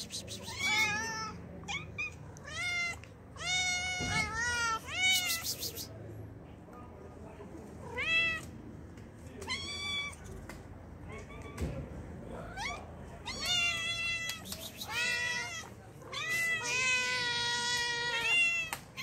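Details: Hungry cats, described as kittens and street cats, meowing for food: a rapid series of short, harmonic-rich meows overlapping one another, some rising and falling, with a few longer drawn-out cries near the end and faint background noise.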